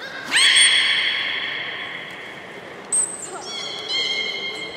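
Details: A long rich harmonic whistle from young belugas at Port of Nagoya Public Aquarium during pool transfer play time, followed by a short high squeak and softer flat tones, in an echoing hall.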